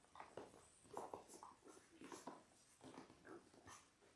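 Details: Ten-day-old Labrador Retriever puppies, one of a litter of six born January 18, 2022, on an indoor puppy cam: soft short squeaks and whimpers come in quick uneven bursts over about four seconds, quiet, with no other clear sounds.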